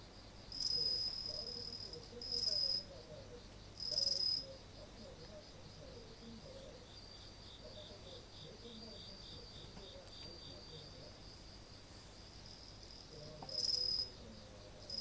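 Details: Late-August night outdoors by a house entrance, 30 August 2018, with insects singing. Short, piercing high trills burst out three times in the first five seconds and again near the end, above an unbroken, rapidly pulsing background chirp.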